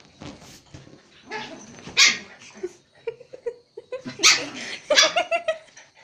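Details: Pet Pomeranian playing with a Japanese Spitz at home in Kathmandu, Nepal: scattered short, high yips and barks in irregular bursts, with a run of quick, pitched yelps near the end.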